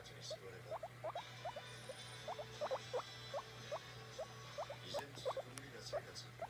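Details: Guinea pig demanding petting: a steady series of short, upward-sweeping squeaks, roughly two or three per second, over a low electrical hum with faint background noise.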